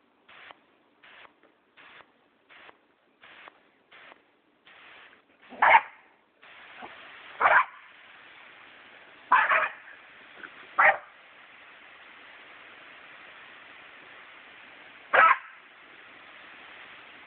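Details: Jack Russell Terrier puppies finding out about a water hose; five sharp, loud barks spaced irregularly between six and fifteen seconds over a steady hiss of running water, after a run of short, evenly spaced bursts.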